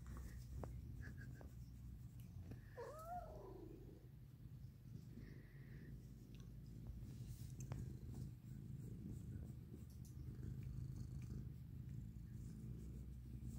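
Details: Sunbathing cat giving a continuous deep purr, with a brief squeaky meow about three seconds in and faint rustling.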